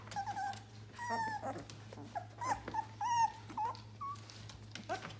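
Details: Eighteen-day-old yellow Labrador Retriever puppies whining softly indoors: thin drawn-out whines and brief squeaks, some wavering up and down, over a steady low electrical hum.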